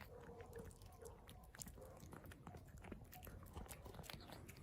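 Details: Hungry street cat eating: steady wet chewing and crunching, broken by short, low hummed murmurs repeated several times in the first second and a half, then more scattered.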